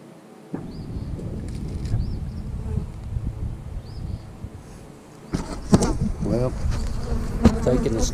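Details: Honey bees in an eight-frame hive being inspected after splits, a beekeeper checking that the queen returned: a steady low droning hum of many bees throughout, with brief crackling knocks and handling noises near the end.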